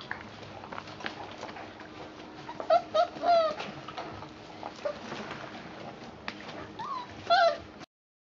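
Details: Four-week-and-four-day-old puppies with Mama Valentine and her new brother Hoyt on an afternoon of March 18, 2013: brief high whimpers and squeaky yips come in a cluster near three seconds and again near seven seconds over a steady low room hum.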